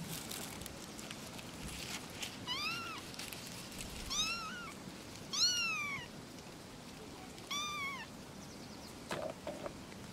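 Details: Kittens at play with mother cats, calling for attention: four or five arched, fairly loud meows spaced over a few seconds amid a broad hiss of background noise and occasional clicks.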